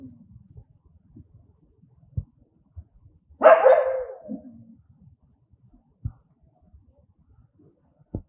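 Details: An angry dog gives a single loud, harsh bark that trails off into a short growling tail. Quiet scuffs and faint clicks sound before and after it.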